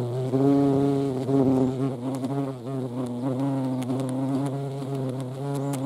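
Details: Hornets near a feeding place with ants, Dohr, Eifel, 28 July 2022; a low, even buzzing of wings, louder in the first second, then a steady hum that bends slightly in pitch.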